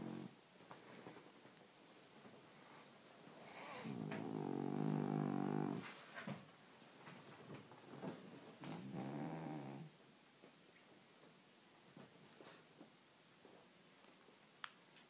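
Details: French Bulldog asleep and snoring indoors: two long, rough, rumbling breaths about four seconds apart, each lasting a second or two, with soft clicks and rustles between them.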